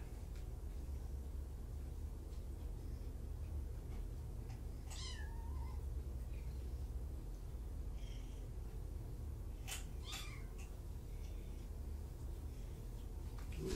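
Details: Kitten at Purrfect Pals, one of five from two litters surrendered in Tacoma, heard in the afternoon: a single high mew with a falling-then-rising pitch around five seconds in, a fainter one near ten seconds, over steady low room hum.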